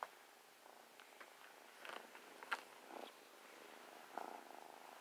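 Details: Snuggling pet kitten purring, a quiet continuous rumble under a few brief rustles and soft taps from movement against fabric.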